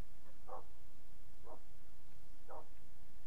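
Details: Kenneled puppy barking three times at steady one-second intervals, each bark short and clipped, over a hissy background, as a person tells the dogs to sit.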